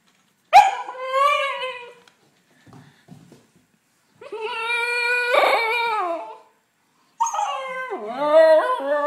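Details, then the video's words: Muddy female Siberian Husky pup shut out of the house, crying in three long whining bursts, each a sustained harmonic wail, the last wavering and swooping in pitch, with brief faint noises between. "Husky pup crying cos i wont let the dirty dog in!!!"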